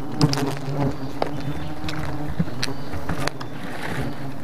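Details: Bees attacking in their thousands: a constant low, layered hum of many wings, with scattered sharp ticks and knocks breaking through. The level drops slightly near the end while the buzzing continues.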